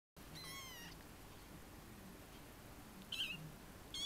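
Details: A 23-day-old Munchkin kitten (Felis catus) gives thin, high-pitched meows that slide downward.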